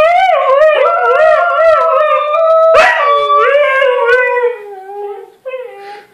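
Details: Several huskies howl together in overlapping wavering tones, some bending up and down in quick yodel-like swoops, a sharp yip near the middle, then the chorus fades to softer trailing notes.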